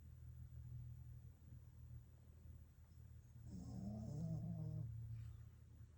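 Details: A sleeping rescue Pekingese breathes and snores with a low, rumbling drone and a brief rattling, throaty burst.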